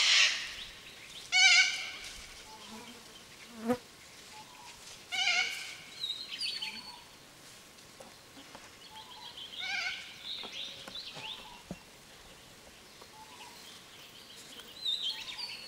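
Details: Feral goats bleating: three or four drawn-out, harmonic-rich bleats spaced a few seconds apart, with flies or bees buzzing faintly between them.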